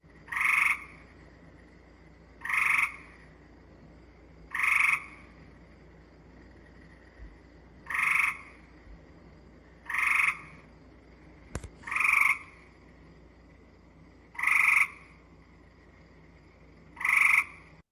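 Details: Gray Treefrog giving slow, musical trills about every two seconds, each with individual pulses you can pick out, unlike the buzzier, unpulsed call of Cope's Gray Treefrog.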